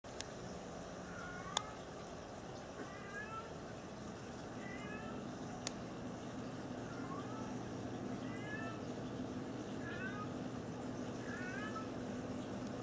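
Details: Cat; chirping call; mother calling her kittens to her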